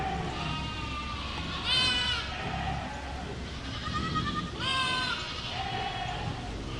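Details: Goats bleating over a constant, noisy background: two wavering, nasal bleats about three seconds apart, each bending upward then falling. Fainter bleats sound in between.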